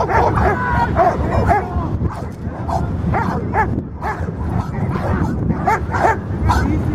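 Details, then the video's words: Guarding Labrador Retriever gives repeated short barks in quick bursts, some paired, with a continuous music track underneath the whole time. "Labrador (Thaily) Guardia y protección"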